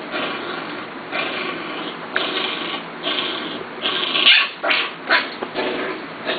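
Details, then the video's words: Litter of Corgi puppies just over seven weeks old, playing indoors; loud, high, sharp yips and short barks come in uneven bursts roughly every half second, with soft background music behind. "Corgi Puppies"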